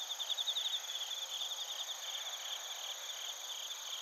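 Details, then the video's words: Crickets, including bell crickets, chirp in Narita, Chiba Prefecture, Japan. A loud run of fast, evenly pulsed high trills opens and then fades into a continuous shimmering insect chorus. Recorded on a TASCAM Portacapture X8. "スズムシとコオロギの鳴き声 - Chirping of crickets"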